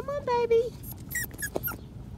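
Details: Five-week-old Patterdale Terrier puppies exploring a homemade earth tunnel of black PVC pipe: a steady, high, nasal whine lasting under a second, followed by a few short, sharp squeaks, with faint rustling underneath.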